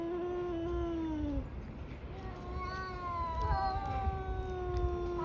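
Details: Caterwauling between two tabby cats in a fight: a sustained moaning yowl slides downward and breaks off, then a louder, tense wail rises and wavers on a steady pitch, with a low hum of background noise throughout.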